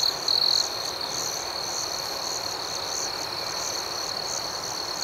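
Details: Crickets chirping at night: a steady, high, shimmering trill chorus runs throughout, with one louder, rapidly pulsed chirp burst standing out near the start.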